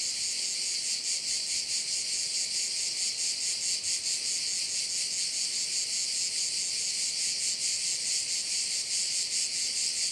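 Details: A chorus of crickets over a bay on Korčula island, Croatia, sounds as a bright, continuous high-pitched trill with quick regular pulsing that holds constant for ten seconds.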